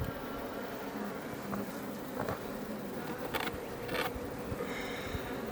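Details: Honey bees, Iberian subspecies, outside a Langstroth hive near Roquetes, Catalonia, Spain, while building comb; a soft even buzzing hum with a few sharp clicks and scrapes.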